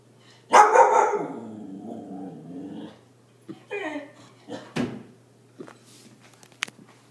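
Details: Siberian Husky Arya, startled by a balloon, gives a loud bark sliding into a long wavering howl-like whine lasting over two seconds, then several short soft yips and sharp clicks.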